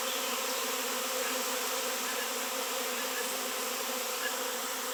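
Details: Massed honey bees swarm at a raw 7 lb shungite piece, long absent from the area; a thick, even, continuous buzz of countless wingbeats with stacked hum tones and no pauses.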